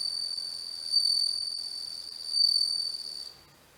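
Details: Bell cricket (Homoeogryllus japonicus) singing, filmed with a macro lens: a thin, high ringing tone that swells in two bursts, then cuts off, with soft background hiss.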